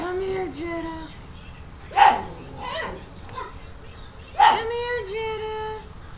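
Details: Household dogs reacting to a new puppy: a drawn-out, wavering whine, then two single loud barks about two seconds apart, each followed by a steady whining tone in a small room.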